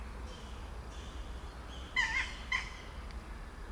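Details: Motherless baby kittens: a pair of short, thin, high-pitched mews about half a second apart, the first slightly longer, against a quiet background with low rumbling noise.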